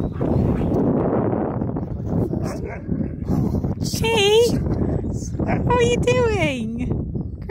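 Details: Husky Key's happy reunion with his friend Sherpa on his seventh birthday. Two drawn-out whining cries, the second sliding steeply downward, rise above continuous talking and background rumble.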